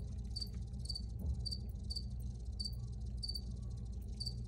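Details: Bright, evenly spaced cricket chirps, a high pulsing trill repeating about twice per second, over a deep, steady background rumble in this original recording.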